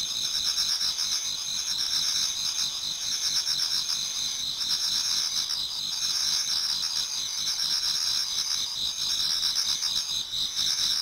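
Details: Before dawn in autumn, numerous insects sing in a Japanese garden: an unbroken high-pitched shimmering trill, plus lower clicking pulses repeating irregularly, all blended into a dense chorus.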